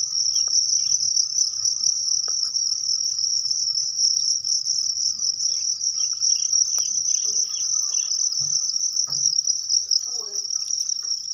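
A cricket trills steadily and high-pitched, an unbroken shrill buzz with faint knocks in the background.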